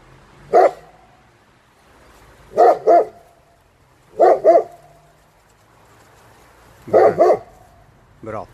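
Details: A German Shepherd, being trained to bark on command in two languages, gives deep, sharp barks, often in quick doubled pairs.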